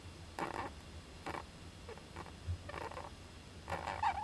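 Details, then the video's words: Young Japanese giant flying squirrel inside an owl nest box, 19 July 2010, sneezing; five short breathy bursts spaced about a second apart, the last with a thin squeak, over low steady hum. "仔ムササビの鳴き声 ～子供だってくしゃみするんです～"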